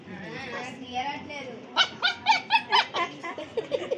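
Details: A puppy lets out a quick run of short, high-pitched yapping barks, about four a second, after a thin whining start, with a person's voice nearby.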